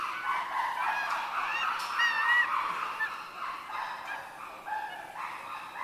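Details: Chimpanzees at a zoo in Japan heading back into their sleeping quarters, giving loud fearful-sounding screams: overlapping high wavering hoots and shrieks rising and falling, several voices calling at once with a steady crowd-like wash beneath.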